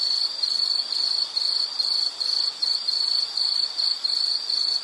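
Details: Shrill insect trill in short regular bursts, roughly two to three a second, separated by brief quiet gaps; a calming nature sound with no other voices.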